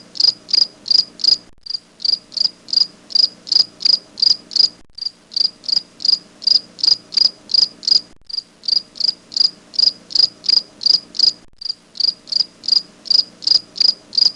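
A grasshopper stridulates in quick, high, rasping pulses, repeated in bursts with brief pauses.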